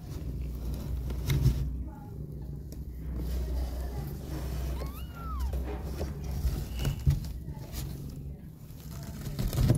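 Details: Mother cat, feeding and cuddling her two kittens indoors, wants to go out. She gives a single short arched meow midway through, rising then falling, over a steady low hum with faint rustling.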